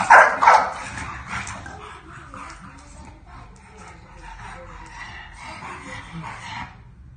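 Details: Bulldog puppy trying to establish boundaries with a new sister, giving a loud burst of high yapping barks at the start, then continued softer, rapid yips and grumbling vocalizations throughout, with a person speaking.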